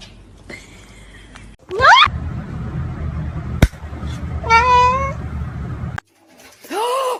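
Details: Kitten meowing indoors: three short, separate meows, one rising sharply, one wavering, one arched, broken up by scuffling noise and a sharp knock, with a person talking nearby.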